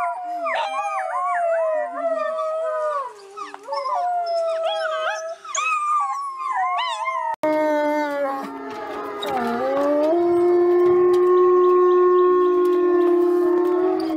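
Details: Wolves howling as a pack: a busy chorus of yipping, quavering voices over steady howls, then a deeper sustained howl that dips and rises, joined by higher long howls in unison.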